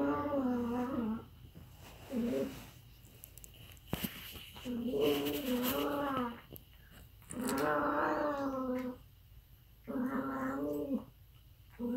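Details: Aardvark making weird, wavering, harmonic moaning calls. Five drawn-out bouts of about one to one and a half seconds each are separated by short quiet gaps, over a faint background hiss.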